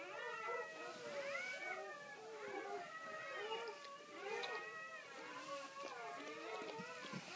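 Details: Crying newborn Great Pyrenees puppies as their mother delivers another pup: a continuous tangle of high, curved squeals and whimpers from several pups at once.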